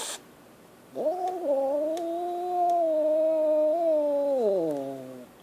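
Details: Scared kitten letting out one long, drawn-out harmonic wail of three and a half seconds, steady in pitch then sliding downward at the end, after a short noisy burst at the start.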